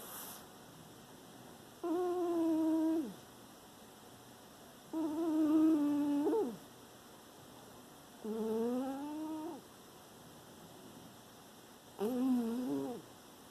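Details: Sleeping dog Penny snoring in September 2018, four tonal, humming snores of about one second each, spaced roughly every three and a half seconds with soft silent pauses between breaths, pitch wavering slightly and dipping at each end.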